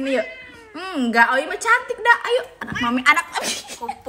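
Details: Angry odd-eyed cat named Owie lets out quick arching meows that bend up and down in pitch, overlapping with a person talking indoors.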